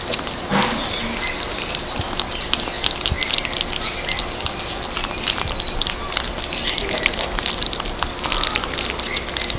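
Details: Kittens at their cat food, chewing in a continuous busy crackle of small crunches and clicks over about ten seconds, with a brief low sound near the start.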